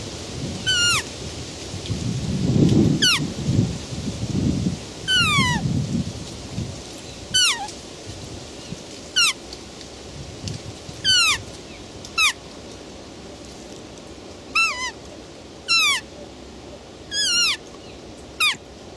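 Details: Roe deer giving short, high, sharply falling squeal-like calls with bright overtones, about eleven in all, spaced roughly one to two seconds apart; low rumbling noise fills the first seconds, then a faint steady hiss remains.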